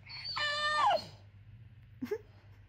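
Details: Summer, a four-month-old female Cane Corso x Bullmastiff puppy, whines as if wanting something: a drawn-out tonal whine, steady and then sliding downward near the end, followed after a pause by a brief higher squeak, with a person talking to her in a small room.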